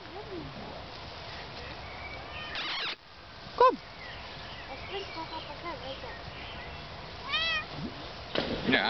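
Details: Bengal queen joining an evening walk with dogs outside: scattered bent, wavering meows, a loud one midway and a strong one near the end, with a person calling to her in Dutch.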